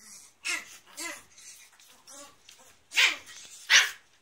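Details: Chihuahua named Rana, filmed from 23 November, giving a series of high-pitched, harmonic yips and whimpers, with two sharper, louder barks near the end.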